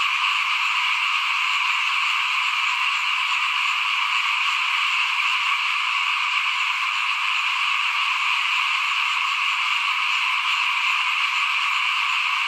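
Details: Frogs calling in front of a house at rice sowing time in 2021: a dense, unbroken chorus of overlapping rasping croaks that forms a steady, high, buzzing wall of sound with no pauses.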